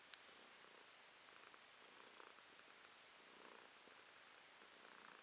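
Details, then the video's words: Domestic cat, female, purring in November 2022: quiet, even rumbling purr in short rhythmic surges with each breath, nothing else audible. "Кошка Ромашка урчит"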